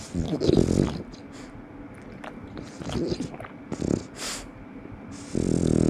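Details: French Bulldog snorting and snoring loudly through its nose; rough, breathy noisy bursts come irregularly every second or so over a steady low hum, with a louder sustained rasp near the end.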